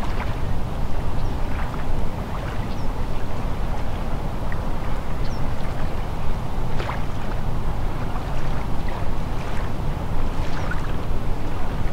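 Steady low rumble of wind and lapping water, with faint scattered clicks and no animal calls.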